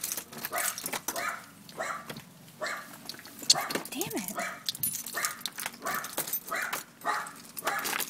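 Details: Excited dogs welcoming someone home in Houston, Texas, in midsummer, among them a dachshund, a very old beagle and an akita-shepherd-husky mix: quick repeated yapping barks with one rising-falling whine, a woman's voice talking over them.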